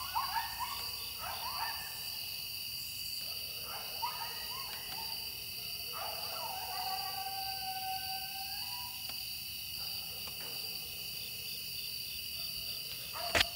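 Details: Wild coyotes calling within throwing distance near a home in Wilkes County, North Carolina: bursts of wavering yelps give way to a long, drawn-out howl that slides up and holds, with constant high insect trilling behind.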